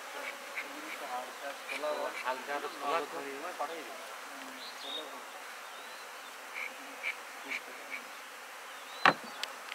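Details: Honey bees working at a bee farm kept for honey, a continuous busy hum with short louder buzzes passing early on, a sharp knock near the end.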